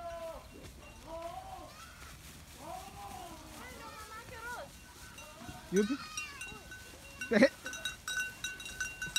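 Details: Goats bleating on a farm, several wavering harmonic bleats overlapping, with a sharper louder cry near the end; faint bell tones and background talk.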